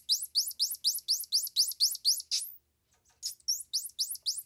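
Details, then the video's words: Squirrel monkey twittering in fast, evenly spaced, rising high sweeps, about four each second, with a short pause partway through before the series starts again. "Squirrel Monkey Sound"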